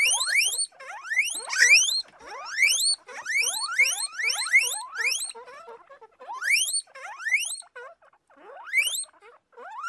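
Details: Domestic guinea pigs give a run of piercing whistled squeals. Each one rises steeply, and they come in quick overlapping clusters, then a short lull and more rising calls, several voices at once.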